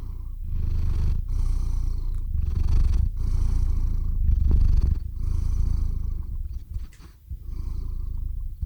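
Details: Pet cat falling asleep while purring on a close shotgun microphone; continuous low vibrating purr alternating inhale and exhale phrases, fading and softening toward the end as breathing slows.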